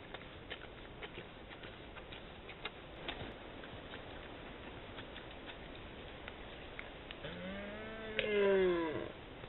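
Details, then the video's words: Wild red deer stag roaring in June, caught on a trail camera; one loud harmonic bellow near the end that rises and then falls, preceded by a quiet stretch of ticking and patter. "RYCZĄCY JELEŃ W CZERWCU"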